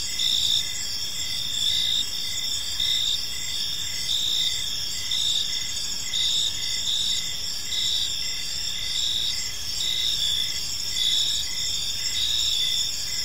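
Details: Steady evening cricket chorus in a peaceful park: bright high-pitched chirps repeating in short dashes, several callers layered into a constant shimmer, with quiet low-frequency ambient noise.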